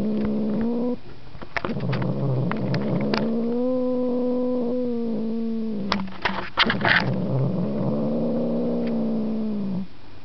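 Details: House cat Markus yowls in drawn-out, quavering cries broken by clicking and tapping noises, the tone dipping and swelling over several seconds.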